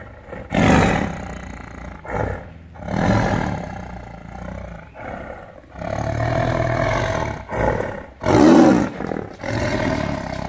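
A tiger gives deep, rasping roars in a series of heavy bursts.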